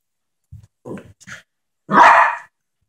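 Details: Little Yorkshire terrier Ketty playing with a small boy: a few soft, low scuffling sounds, then one short, loud, harsh bark lasting about half a second.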